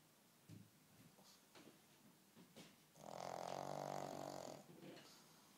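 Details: A pug snoring indoors: soft short snorts early on, then a long loud rattling snore of about a second and a half with a harmonic buzz, fading into quieter breaths.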